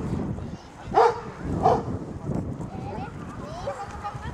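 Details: Six-week-old Golden Retriever puppies, ten of them, playing wildly in a garden; two short, high, harmonic yips about a second apart break through soft background voices and rustling.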